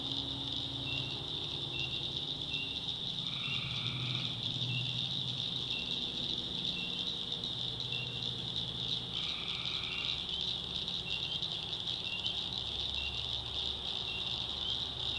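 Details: Tree frogs calling at night in the swamps of the North Carolina backwoods: a dense, steady, high-pitched chorus throughout, broken by two louder, lower trilled calls lasting about a second each, near the third and ninth seconds, over a faint low hum.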